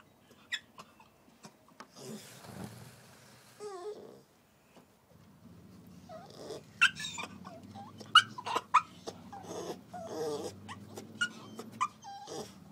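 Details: Puppy put outside after a toilet accident, crying: short high squeaky whines and whimpers scattered irregularly, some rising then falling, amid shuffling, scratching and breathing noises close by.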